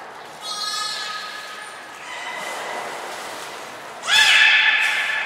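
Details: Belugas Hodoi, Taanya and Mirai at Port of Nagoya Public Aquarium, 14 March 2021, during pool moving and training: thin whistled tones and squeaky harmonic calls, ending in a loud, buzzy, broadband squeal after four seconds.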